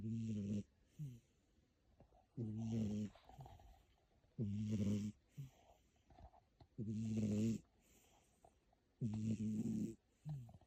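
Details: Indoor cat snoring loudly while asleep in a room; deep rumbling snores come about every two seconds, five big ones, each followed by a short softer exhale.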